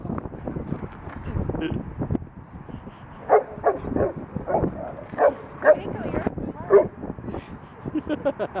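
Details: Rudy, a Boston Terrier, plays roughly with another dog at a dog park, giving short sharp barks and yips scattered through the second half, over a murmur of human voices and laughter.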